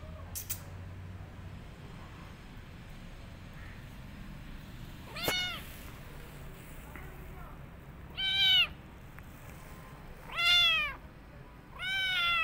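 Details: Kitten behaving after her rescue, calling with loud drawn-out meows that arch up and down, four spaced calls in the second half after one faint early cry, over low room hum.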